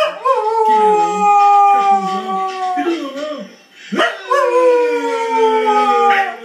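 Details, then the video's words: Cocker Spaniel howling again: long tonal howls that slide slowly downward, the first fading out before a second howl starts with a sharp rise near the four-second mark. "Cocker howling again"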